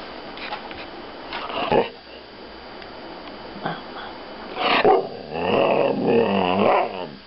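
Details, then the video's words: Thai Ridgeback bitch named Taya "talking" indoors: a few short yips early on, then a drawn-out, wavering moaning howl with rising and falling harmonics near the end, with faint room noise. "Тайский риджбек Тая разговаривает"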